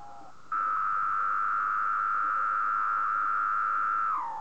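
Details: At 3 am on a moth sheet, a male cicada sings by vibrating its tymbals. After a faint lower note, the tone jumps abruptly to a loud, unbroken whine lasting about three and a half seconds before sliding down and fading.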